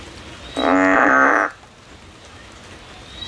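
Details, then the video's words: A frog climbing a tree, looking for a way out, gives one loud, nasal, steady-pitched call lasting about a second. "Frog song, the frog is climbing a tree looking for a way out."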